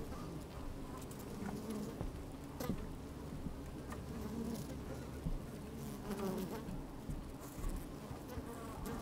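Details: Honey bees busy inside an opened hive on a fine, sunny day, recorded from within by a microphone slid down among them; a dense low hum with short buzzy swells and pattering, crackling movement throughout.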